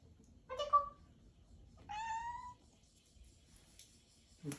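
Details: Pet cat Odeko mews sweetly for attention before father leaves the house: two clear meows, the first brief and bright, the second longer and rising slightly, in a quiet indoor room.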